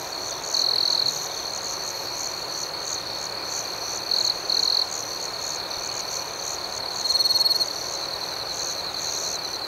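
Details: Chorus of crickets chirping through a calm night, a sustained shrill trill with pulsing overtones, broken by several short louder bursts from a nearer cricket, each lasting under a second.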